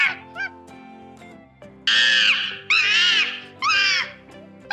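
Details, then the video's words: Monkey giving loud arching screeches in three long bursts, each rising then falling, separated by short gaps, with a quieter high call at the start, over steady background music. "o Leão, o Macaco e o Elefante!"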